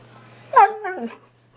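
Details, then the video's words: Siberian husky 'talking' with its owner indoors: one short whining yowl that swoops up and then slides down, ending in a brief wavering tail, with a low steady hum underneath. "Talking Huskies"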